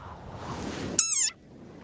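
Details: An angry desert rain frog gives its squeaking war cry, a single shrill, squeaky cry much like a squeezed dog toy.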